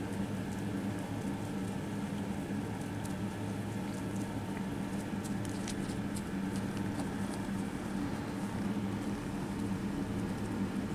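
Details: Continuous, deep, throbbing purr from kittens being petted at a cat cafe, an even low hum that never breaks, with light scratchy rustles and small clicks from handling on top.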